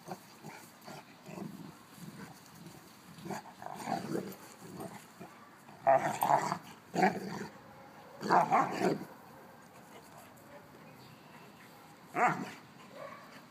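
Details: Old female mastiff and a 6-month-old give a busy string of rough growls and grumbles, some loud sharp bursts near the middle, a whimpering edge, and brief human voice mixed in.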